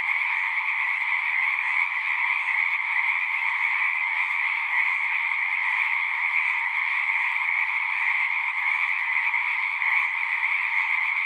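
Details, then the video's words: Dense natural frog chorus: countless overlapping trilled croaks form a steady, high buzzing hum at two pitches, never pausing across eleven seconds. Loudness stays level, with no wind, water or human sounds. "One hour of singing frogs."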